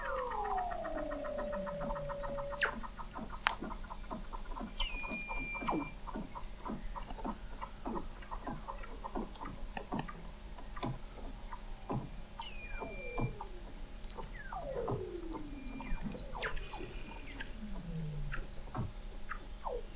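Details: Weddell seals recorded 21 m below sea ice at McMurdo Sound, Antarctica, in November 2017: fast pulsed trills repeating many times a second, interspersed with descending chirps and brief high upsweeping whistles.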